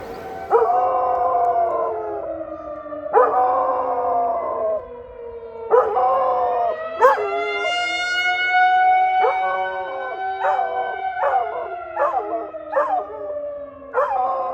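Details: Brody, a pet dog, howls and barks at a tornado siren: wavering, sliding howls around mid pitch with sharp barks breaking in every few seconds, while the siren's long steady tones drone underneath throughout.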